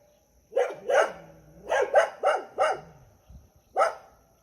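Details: Rural dog barking at a passer-by who hid to record it: a quick run of five or six loud, rough barks, a short pause, then one final bark.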